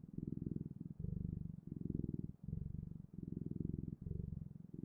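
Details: Contented cat purr recorded closely, a rich low rumble alternating between slightly different inhale and exhale tones, each segment under a second, with brief quiet gaps between.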